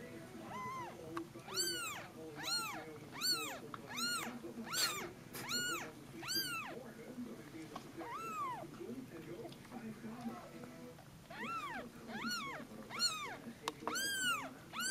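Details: Two-day-old Snow Bengal kittens in a cosy, warm den while their mother is away, giving a steady series of high, arching mews, rising then falling, roughly one or two per second with a brief pause midway.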